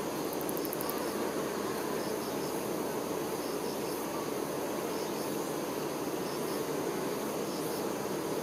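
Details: Worker honey bees attending the queen make a continuous thick droning buzz, even in loudness throughout, with soft doubled high chirps recurring every second or so behind it.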